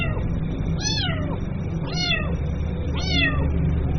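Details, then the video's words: Three evenly spaced kitten cries about one second apart, each a thin, arched meow with a bright harmonic stack; the little cat calls its mother over a heavy low background hum. "SUARA ANAK KUCING MEMANGGIL INDUKNYA"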